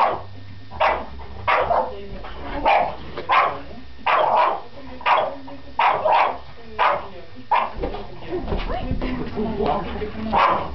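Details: A French Bulldog barks repeatedly, short loud barks spaced about every second, a few coming in quick pairs, over a faint low background hum.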